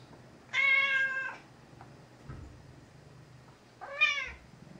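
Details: House cat Mouse, a vocal gray tabby, cries out while kept in a bathroom for a few days on medication after being a little under the weather; one long bright meow, then a shorter rising-falling one, with soft thumps between.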